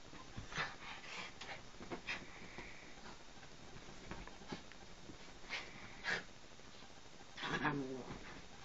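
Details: After a bath, the dog Chuqui gives quiet, steady, high whining tones between light panting and rustling in a small indoor room, followed by a louder shuffling noise near the end.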